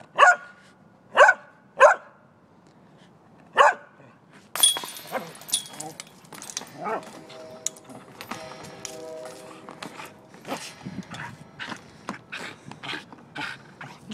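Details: Pembroke Welsh corgi barking excitedly while its owner plays disc golf: four sharp, high barks in the first few seconds, then a metallic clatter and rattle, followed by scattered barks amid outdoor noise.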